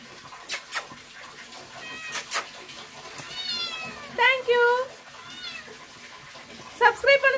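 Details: Domestic cat meowing repeatedly: a thin high whine, then several strong wavering meows close together, a short one, and two more at the end, with sharp clicking knocks and faint background noise between calls.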